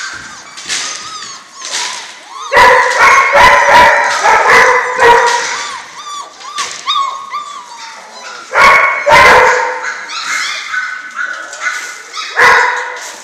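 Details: Litter of German Shorthaired Pointer puppies, six weeks old; overlapping high whines, squeaky yelps and short yips from several pups, some rising and falling in pitch, with sharp bursts clustered around the third, ninth and thirteenth seconds.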